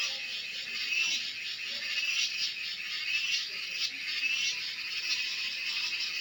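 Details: Cicada, called cheeveedu locally, producing a continuous high sizzling drone with gentle pulsing swells throughout and no other clear sounds.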